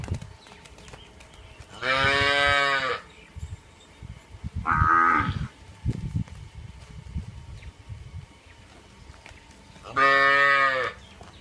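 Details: Punganur cow mooing: two long, loud, strongly harmonic moos about eight seconds apart, with a shorter, higher-pitched call between them and faint low background noise.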